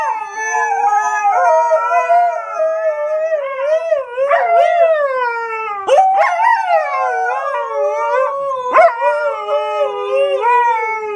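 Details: Siberian Huskies, pet dogs, in their daily talk with each other: overlapping drawn-out howls that waver up and down, several voices layered, with short yelps breaking in around six and nine seconds.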